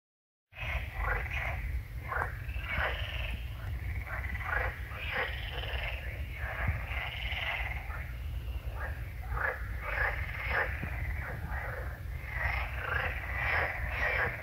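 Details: A hedgehog visiting at night and moving closer makes loud, menacing-sounding noise: rapid irregular bursts of breathy snorts and huffs with brief pauses, over a low, constant rumble.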